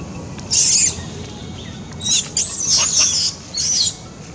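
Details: Little monkey Beving cries loudly and scared after a strong, painful bite from another monkey, A Rey: shrill, high screeching bursts, one short, then a longer broken run and a final short burst, over a low background rumble.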